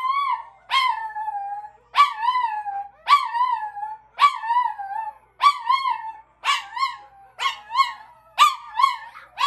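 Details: Chihuahua howling in response to other dogs' voices: ten repeated harmonic cries about once per second, each a rising yip that bends into a wavering, falling tone, growing shorter and choppier toward the end.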